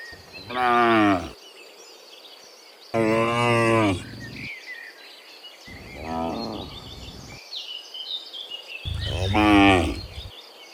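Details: Four deep, buzzy, harmonic moos from cows returning from the field to the barn in the morning, some loud and close, one fainter, with high twittering birds between calls.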